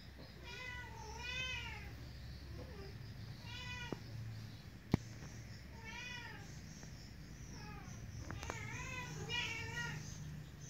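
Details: Kitten meowing repeatedly, about eight short harmonic mews, each rising then falling, in clusters of one to three, over a low steady indoor hum with a click near the middle.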